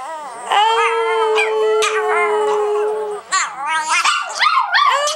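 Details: Prada the seven-year-old singing Chihuahua joins her sisters Tinkerbell and Dasha in a howl. A smooth, even held tone runs under sliding, quavering howls, ending in higher wobbling yelps and cries.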